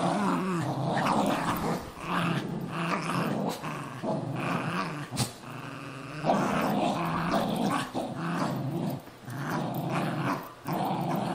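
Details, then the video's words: Play-fight between a Cairn Terrier and a Jack Russell Terrier over a golf glove inside a home; dense, nearly unbroken growling with gritty low tones and occasional sharper yelping accents. "Carrin Terrier VS Jack Russell Terrier"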